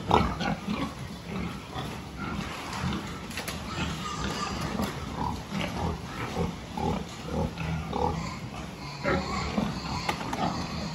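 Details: Pen of pigs at a health check dated 26 October 2023, with many low grunts overlapping in a steady murmur, occasional higher squeals and a few sharp metallic clacks.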